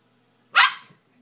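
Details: Seven-week-old Siberian Husky puppy playfully attacking his bed, giving a single short, high-pitched bark that fades quickly, with people talking around it.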